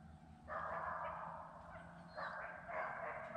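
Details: A hound bays in long, drawn-out howling notes while running a deer's trail on 75,000-acre Sandhills game land in North Carolina, a tracked dog going up near the road.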